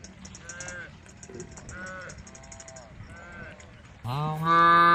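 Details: A group of tame cows on the road moo to call the herd: softer distant lows, then one loud, rising, drawn-out moo close by.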